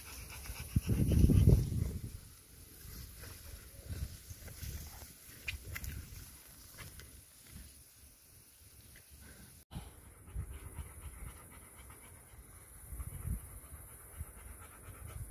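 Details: Rapid panting from Sofia, a pet dog, at her birthday in June 2023: a loud, strong burst in the first two seconds, then steady, quicker, softer breaths, roughly three to four a second, with a brief louder spell near the end.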